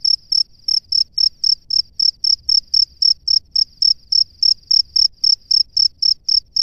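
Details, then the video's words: From its nest, a male cricket calls the female with a steady train of bright, piercing chirps, roughly three per second, evenly spaced throughout. "SUARA JANGKRIK JANTAN DI SARANGNYA MEMANGGIL JANGKRIK BETINA"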